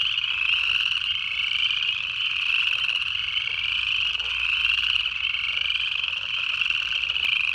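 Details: In the Georgia Piedmont in late January 2024, a dense chorus of early-calling frogs, including Upland Chorus Frogs, makes a steady, high, trilling wall of sound with no pauses.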